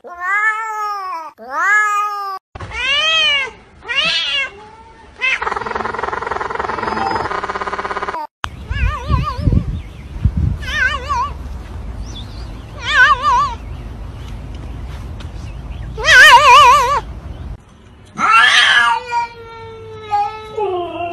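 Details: Several short house-cat meows, arched and quickly repeated, then trilling wavering cries mixed with background noise, music and speech, from a compilation of cats that sound as if speaking English.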